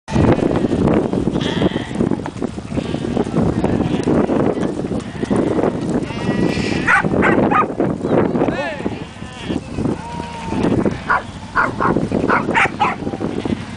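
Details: A male Shih Tzu gives bleating, sheep-like cries in drawn-out, wavering bursts. A person talks loudly throughout.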